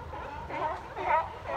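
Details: Sea lions at Fisherman's Wharf give short, hoarse barks in quick succession over a low background rumble.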